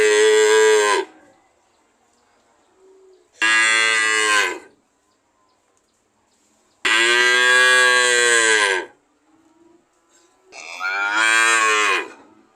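A cow moos four times, each call a loud, harmonic-rich bellow of one to two seconds. The moos come at uneven intervals with quiet pauses between them, and the longest one swells and then fades.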